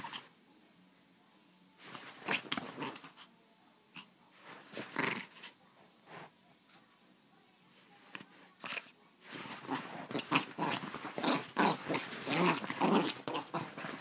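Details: Pepito, a chihuahua, yapping in sharp, high, irregular bursts that come in short clusters, then quicken into a dense, rapid run of barks through the final seconds.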